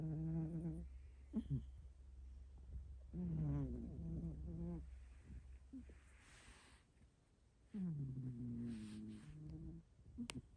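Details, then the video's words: Snoring from a 6.5 kg hairless cat in a quiet room. Several low, rasping, harmonic snores of one to two seconds each, some sliding slightly downward in pitch. Soft breathing noises and faint room hum fill the gaps. "6,5kg hairless cat’s snoring zzzz🙀🙀🙀毛なし猫さんのイビキ"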